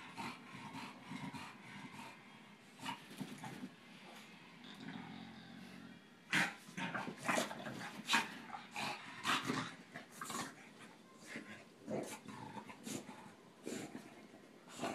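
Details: Playful wrestling between Tinker Bell the Boston terrier and Lala the bulldog: rapid growls, short grunts and yips in quick irregular bursts, busier in the second half, with scuffling noises throughout.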